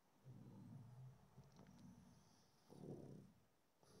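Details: Pug relaxing in the afternoon, snoozing: soft, low, snorting breaths come in three slow bursts about a second apart, with quiet pauses between and faint indoor background.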